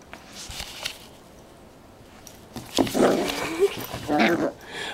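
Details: An 11-week-old Yorkshire Terrier and Poodle mix puppy named Maxwell, playing indoors and pouncing on an ice cube and the camera, gives brief high whiny yelps amid a woman's scolding and praising voice.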